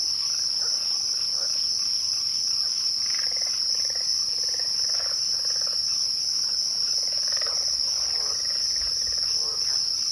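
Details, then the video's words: A steady, piercing cricket chorus at twilight carries on throughout, with a faint higher overtone. Soft, muffled mid-pitched calls flicker in the background. "twilight crickets"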